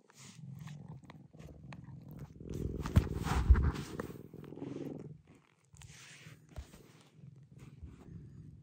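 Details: Affectionate rescued cat Maroshiro, living in a dedicated upstairs cat room, purrs in a low throbbing rhythm that swells and fades, mixed with rubbing and shuffling sounds and a brief silent gap.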